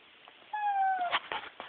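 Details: Bulldog crying, possibly wanting treats or reacting to television; a high, steady whine held for about half a second, slowly falling in pitch, then short fainter whimpers and soft background noise.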